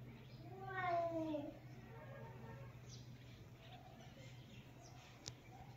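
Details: One of the cat sisters lets out a single clear, falling meow near the start, followed by faint softer sounds over a steady low hum.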